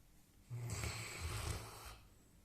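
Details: Sleeping Labrador puppy giving a single snore of about one and a half seconds, a low rough rumble under a breathy hiss, in a quiet small room.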